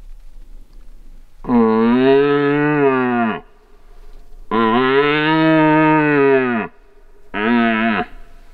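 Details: Red deer stag roaring in the rut as hunters stalk him: three deep, drawn-out, moaning bellows, the first two about two seconds each and the last shorter, separated by brief quiet pauses.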